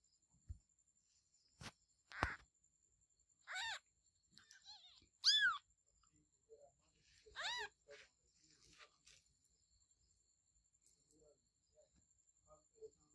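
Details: Kittens meowing: three clear, high, arched meows rich in harmonics, each rising then falling, spaced about two seconds apart, with a few fainter short mews, scattered clicks and a steady thin high-pitched hum behind.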